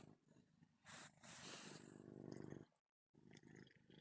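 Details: A male cat named Galaxy purring while kneading his bed, a steady pulsed rumble like a motorboat, mixed with loud rustling and scratching of fabric from his paws, then a brief pause before the rumble resumes.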